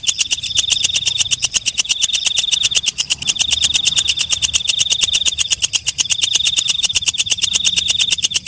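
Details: Belalang malam (walang kecek) calling at night with quick repeated shrill ticks, the high thin tone behind them swelling and dipping in stretches of several seconds; low background rumble.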